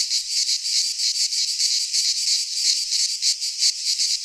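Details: Greek pine-forest cicadas in midsummer, their high rasping drone swelling and fading in fast pulses, continuous and undisturbed by other noise.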